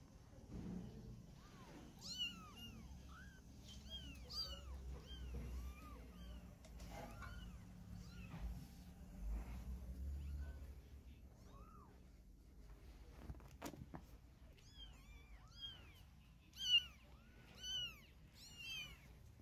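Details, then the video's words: Mother cat carrying her baby kittens in her mouth to relocate them; clusters of short, high, curving mews come in bursts, with a quieter gap in the middle, a sharp knock, then a fresh flurry of calls. "Cat Mom Carrying Baby Cat in Mouth Wants to Move Them"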